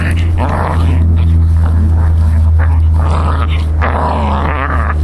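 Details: Faye, a Scottish terrier from San Diego, playing with a pine cone for the first time: rough, low growls and snorts come in bursts over a steady low hum, with a person speaking softly.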